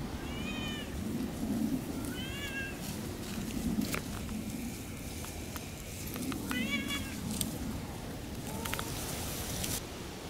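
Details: Off-leash Siamese cats Otani and Yozora calling out on a three-hour forest walk; three separate arched, harmonic meows a few seconds apart, with footsteps, rustling and a low background rumble between them.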